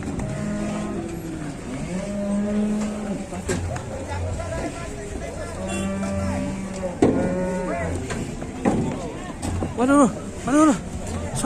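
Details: Angry cattle, described as charging and chasing a person, lowing in several long, drawn-out, harmonic moos over about eleven seconds, with human voices and some engine-like rumble in the background.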